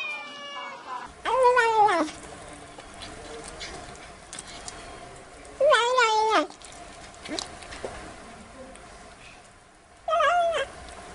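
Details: Playful black kitten meowing three times, about four seconds apart. Each meow is short and bright, rising then falling, against a quiet background of faint rustles.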